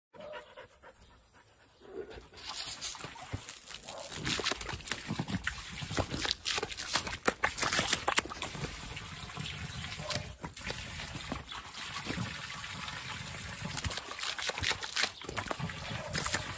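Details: Butterfly, a happy dog, plays with water in a pool that is still filling. Rough, breathy bursts come in a fast, uneven rhythm over constant splashing and trickling water, after a quieter first two seconds.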